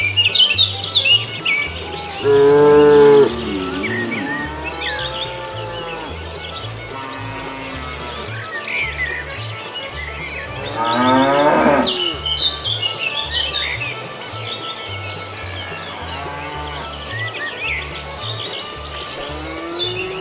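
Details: Cows roaming a road in search of food give a short loud moo early, then a longer rising, wavering moo midway and fainter lowing later, over twittering birds and a pulsing low music track.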